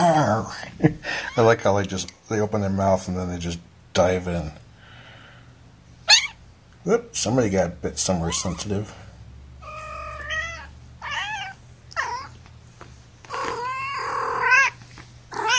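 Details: Kittens from Gamora's litter of five, born April 14th, held in a lap indoors. A person talks for the first half, then several thin, wavering, rising-and-falling kitten mews follow one after another over a low hum.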